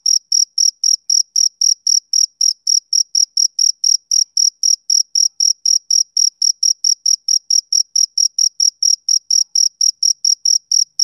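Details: Rhythmic chirps from a male cricket, summer evening setting: clipped high-pitched pulses repeating roughly four times a second in a regular train, nothing else audible.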